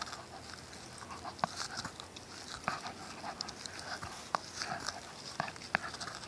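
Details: Shiba Inu and Schipperke dogs chewing on a tennis ball: irregular soft squeaks and sharp clicking bites every second or so over a faint hiss.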